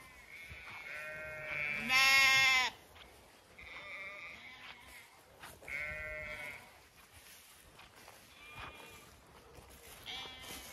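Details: Zwartbles ewes and lambs in an orchard in evening sun on a County Kilkenny farm, Ireland; one loud, bright bleat near the start, then several fainter, higher bleats from other sheep scattered across the flock.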